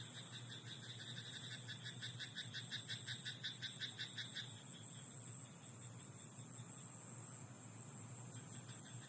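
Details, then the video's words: Frog croaking at night in a rice paddy: a rapid run of short, evenly spaced pulsed croaks over the first four seconds, then fading, over a steady low hum and a thin high whine. "田んぼのカエル "Croaking frog in rice paddy at night""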